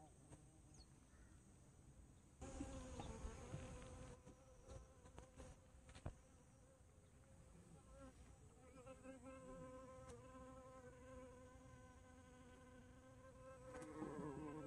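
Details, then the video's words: Bumblebee flying: bursts of rustling, crackling noise early on, then a steady low humming buzz with rich overtones through the second half, swelling louder near the end. "호박벌의 비행모습"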